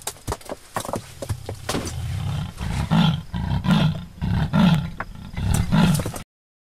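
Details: Persian leopard in Iran, recorded around midnight after roaring constantly since sunset and falling silent for about half an hour; deep, rasping sawing roar of about four loud low strokes less than a second apart, with faint rustling and clicks before.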